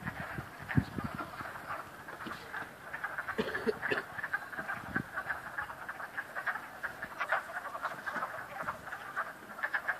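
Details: At Cranberry Lake, a dense chorus of frogs croaks in overlapping rapid pulsed notes with a steady, rattling texture.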